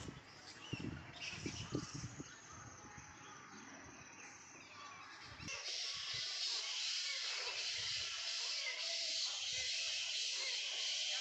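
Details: Hundreds of bats roosting across the trees of a bat sanctuary one morning. Talking and low rumble at first, then dense, hissing, high-pitched chattering from the colony swells up and continues unbroken to the end.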